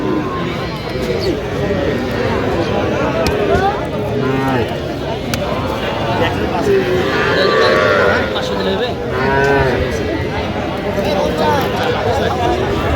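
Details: Sahiwal bull and heifer calves at a Madaripur cattle market on 13 January, being bought by a farmer. Repeated, uneven moos with stacked harmonics, several calves calling over one another, with a crowd murmur and scattered voices beneath.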